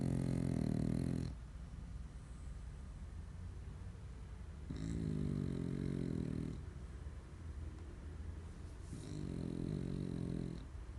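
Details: Sleeping French bulldog, so deeply asleep it rolled over, snoring indoors: three low, throaty, rattling snores about two seconds long, recurring roughly every four seconds, separated by quiet breathing pauses.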